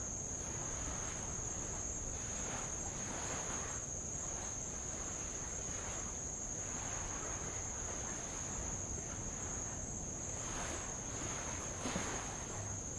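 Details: Insects on Avalau island in the Kingdom of Tonga, heard from a boat rowing around the island: a steady, unbroken high-pitched shrill drone runs throughout, over soft rushing surges of light waves washing on old lava.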